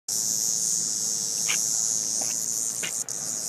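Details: A cicada handled by a child at a park, giving a loud, continuous high buzz that holds steady for over three seconds, briefly dropping near the end, with faint voices in the background.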